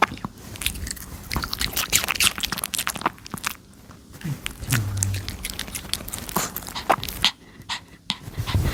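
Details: A Pomeranian dog eating a pear indoors, with crisp, juicy crunching bites in quick irregular bursts, short pauses between mouthfuls, and soft smacking sounds throughout.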